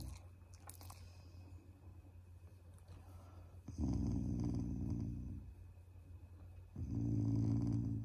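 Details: Affectionate, not angry, growling from a pet Shiba Inu toward its owners: two long, deep, throaty rumbles of about one and a half seconds each, separated by quieter breathing and a constant low background hum in a small room.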